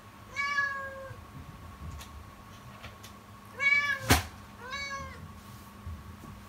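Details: Kitten crying loudly and persistently in the morning in a startlingly fearful, anguished voice: three drawn-out, harmonic-rich meows, each level then falling, spaced about two seconds apart, with a sharp knock indoors near the second cry.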